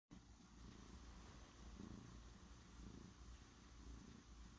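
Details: A cat purring steadily up close, a continuous low rumbling throb with gentle rhythmic pulses, no other clear sounds.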